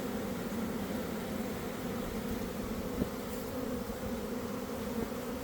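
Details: Steady, dense drone of a honey bee swarm emerging from a garden hive around one in the afternoon after a cold, damp week, with no single bee standing out.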